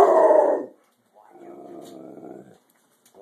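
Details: A Rottweiler barks at a chicken baking in the oven, giving a loud, harsh bark and then a low, rumbling grumble.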